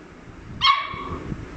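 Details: A newly acquired Labrador Retriever puppy, woken from sleep and excited by the rustle of an empty wrapper the first time he hears it, gives one short high whine that holds briefly then fades, over low indoor background noise.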